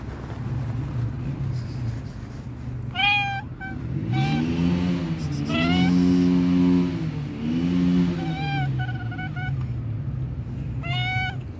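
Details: Sweet meows from a young tabby cat on a park bench, several clear, slightly rising calls spaced a few seconds apart while a vehicle passes noisily nearby, its engine drone swelling and fading in the middle.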